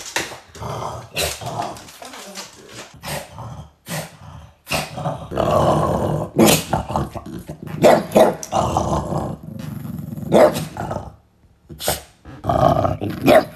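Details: French Bulldog indoors, low rumbling growls with short barks in irregular bursts separated by brief pauses, some clattering in a small room.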